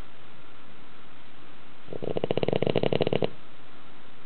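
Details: Dog asleep in a tilted house, snoring as loudly as a middle-aged man; a single buzzy, rattling snore of quick pulses lasting just over a second, framed by soft room hiss.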